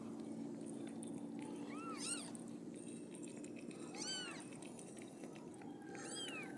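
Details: Siamese cat giving birth to five kittens; three separate arched, rising-then-falling meows about two seconds apart, with rich harmonics, over a steady low hum.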